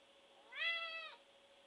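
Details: A large, shaved white domestic cat indoors giving a loud screaming meow for attention: one rising-then-level harmonic cry lasting about half a second, with a steady low electrical hum underneath.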